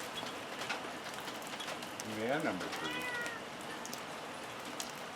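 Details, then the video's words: Siamese-looking Ragdoll cat meowing outdoors on a homestead where hens take off when it comes out; one drawn-out, wavering meow near the middle over steady rain-like background hiss. "the Siamese looking ragdoll cat is meowing"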